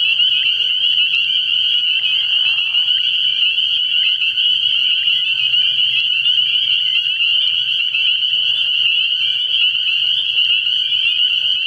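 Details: Early-spring night at a frog pond, a thick chorus of spring peepers producing piercing high peeps that fuse into a continuous ringing band, with a low murmur and occasional softer noises beneath.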